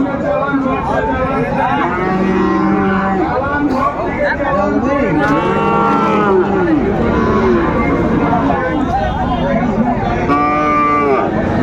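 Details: Sahiwal bull calves at a busy cattle market on 9 January 2025, bought by a Dhaka farmer; several drawn-out, arching moos rise and fall over constant crowd chatter and price bargaining.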